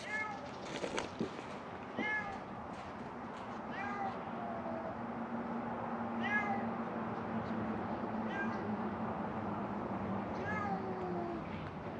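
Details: Hungry feral cats at Mare Island Naval Shipyard in Vallejo, California, crying for food outside a closed-down building: short meows repeat roughly every two seconds over a steady low hum and noisy background.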